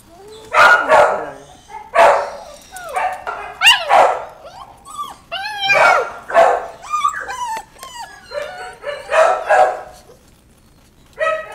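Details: Puppies barking and yipping busily, mixing rough barks with high, whining yelps that bend up and down. The calls come in quick bursts almost nonstop before a short pause and one last yap.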